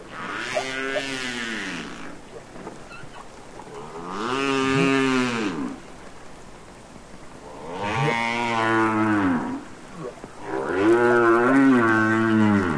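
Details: Humpback whale song from the Capitol Records ST-620 recording of real whales singing underwater: four long, arching harmonic moans, each lasting about two seconds, that rise and fall in pitch with rich overtones, separated by short quiet gaps.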